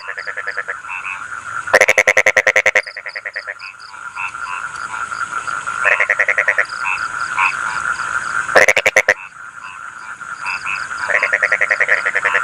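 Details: Croaking frogs, "kokak-kokak", give three loud, rattling trains of rapid pulses, each about a second long, over a chorus of short chirping notes and a steady high drone.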